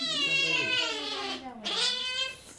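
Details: Two-month-old kitten at the vet, upset during temperature taking, lets out one long wavering high cry that dips then rises again, indoors in a small room.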